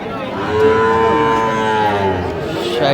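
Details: Sahiwal heifer calf at a Pabna cattle market, 12/5/25: a brief, steady, nasal moo of under two seconds, rich in overtones, with background crowd hubbub.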